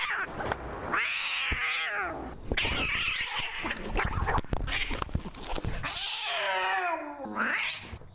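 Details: Maxwell the cat screaming, loud harsh wailing yowls with falling and rising pitch, broken by short gaps and clicks, a final rising howl near the end.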